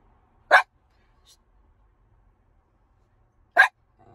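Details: Ginger, a miniature schnauzer, waiting in the car, gives two sharp, short barks about three seconds apart, with near silence between them and a faint low rumble at the end.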